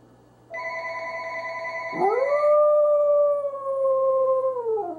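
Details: Corgi howling: a tone that sweeps upward and then holds long and slightly wavering before dropping away, heard alongside a steady electronic ringing tone that starts earlier and fades under the howl.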